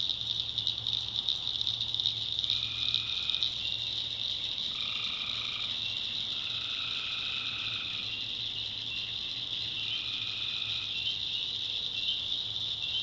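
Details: After dark in the North Carolina backwoods, tree frogs trade trilled calls of one to two seconds, several in succession, each with a higher echoing overtone. An intense, steady high-pitched chorus and a faint low drone sit behind them.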